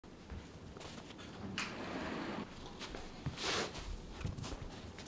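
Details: A Netherland Dwarf rabbit eats steadily, chewing with soft crunches and louder crisp bites over a quiet, low rustle.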